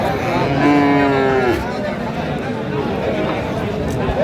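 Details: Bull calf of Friesian or cross breed at the Aftabganj haat in Dinajpur, Bangladesh, on 13 December 2025, giving a short moo that rises toward its end, followed by several seconds of crowd chatter and bargaining voices.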